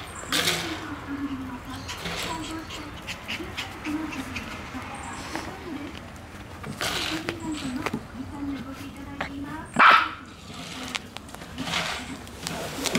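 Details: Shiba Inu puppy Komugi, born September 4, on the morning she is collected by her new family: soft, high whimpers in short drawn-out bursts recurring over several seconds indoors, with people talking nearby.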